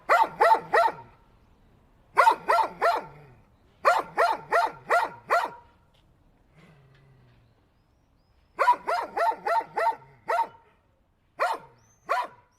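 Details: Dog barking in quick bursts of three to six sharp, harmonic barks, separated by short pauses, with a faint low whine in the middle gap.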